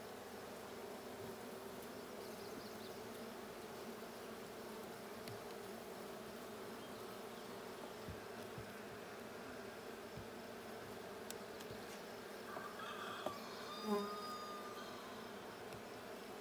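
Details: Continuous low droning of bees at a blue hive checked on 6/20/22, an even hum throughout, with scattered clicks and a short burst of higher tones and a thump toward the end.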